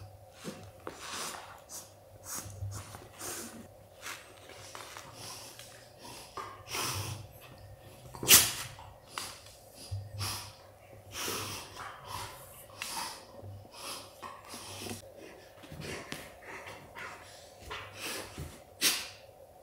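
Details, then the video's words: Golden Retriever dad ending a puppy's playtime with a long run of breathy snorts and huffs, irregular but frequent, with one sharp, loud burst partway through, over a faint constant hum. "Golden Retriever Dad Tells Son Playtime Is Over"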